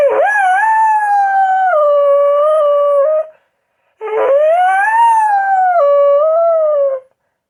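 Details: Two long mournful howls from a house dog, each opening with a rough rise, holding a steady tone, then dipping lower before fading, separated by a short silence.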